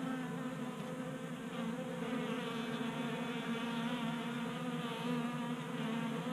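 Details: Honey bees feeding at a 3D printed tabletop feeder in a Colorado garage during a warm January spell, around 60 degrees. A steady, layered buzz of many wings hums without a break, with a slight swell of loudness midway.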